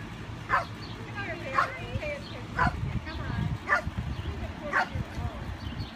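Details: A Pekingese playing happily with a baby deer gives small, sharp yips and barks about once a second, while people talk softly and a low rumbling noise carries on underneath.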